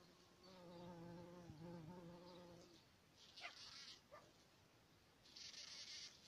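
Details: A bumblebee's low, steady droning buzz, rich in harmonics, followed by brief hissing bursts, in spring around red poppy flowers.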